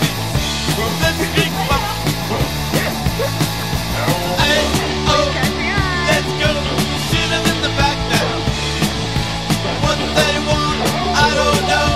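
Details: Loud rock music with driving drums, distorted guitars and bass fills the whole stretch, and no barking or other animal sound comes through.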